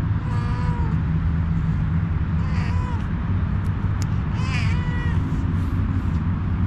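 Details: A homeless female cat seeking a head massage gives three meows at roughly one-to-two-second gaps. Each is rising then falling and slightly drawn out, the last the loudest and most harmonic. A steady low engine-like rumble runs underneath throughout.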